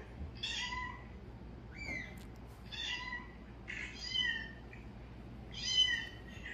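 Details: Cats answer a calling sound with a run of high, harmonic meows, several short and upward-bending, at irregular gaps of roughly a second. A faint click is heard partway through, over a low background hum.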